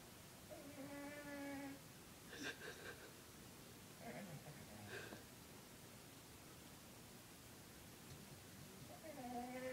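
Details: Sleeping 20-pound cat named Lucifer snores with a droning, nasal tone lasting over a second, a fainter breath near the middle, and another rasping snore starting about eight seconds later, each breath spaced several seconds apart indoors.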